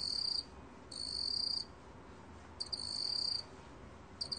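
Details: A black field cricket (Korean 먹귀뚜라미) sings high, pulsing trills in bursts under a second long, repeating about every two seconds.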